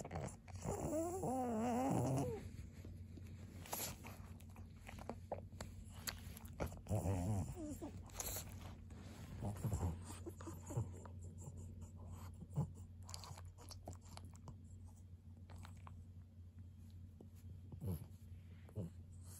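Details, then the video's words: Pug named Maria, filmed indoors on 20 December 2021, gives a wavering, whining vocalisation early on, with a shorter whine around seven seconds; quieter rustling, chewing-like clicks and a steady low hum fill the remainder. "パグのマリアさん。Pug Maria."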